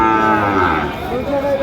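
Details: Sahiwal breed bull at a cattle market in Manikganj, Bangladesh, in late January: a short, full-throated moo that sinks slightly then rises at the end, heard over nearby voices and the murmur of the market crowd.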